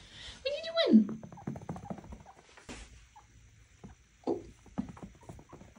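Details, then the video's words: A single loud pet chinchilla scream, Knox demanding playtime, sweeping steeply downward near one second, then softer squeaks and a person speaking in a small room. "Chinchilla Scream & Squeakiest Playtime Ever"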